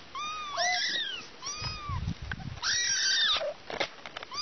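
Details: Kittens and mother cat calling, with short arched meows followed by a longer, louder wailing meow. A brief rumbling noise sounds between the calls.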